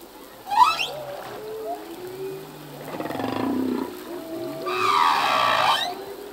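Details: A singing male humpback whale, its song changing yearly as new phrases are learned: a brief high cry, a drawn-out low buzzy groan, then a long bright harmonic wail with gliding tonal moans between.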